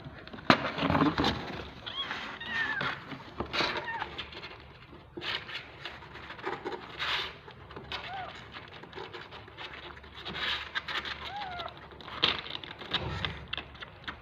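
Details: Several hungry kittens, always eager and fighting over their turn during bottle feeding, give thin, high mews that curve up and down, scattered through the clip amid rustling, bumping and handling noise.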